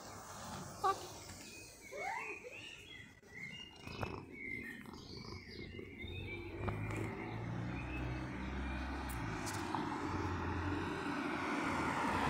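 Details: Mjaullo, a cat met again when summer returns, gives one arching, tonal meow early on, rising then falling, amid scattered bird chirps, handling noises and a steady low outdoor rumble.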